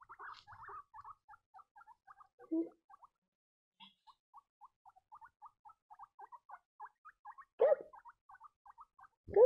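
Young guinea pigs give a steady patter of brief, thin squeaks, several per second, rising and falling slightly. Now and then a louder, harsher and lower squeal or bump breaks through the chatter.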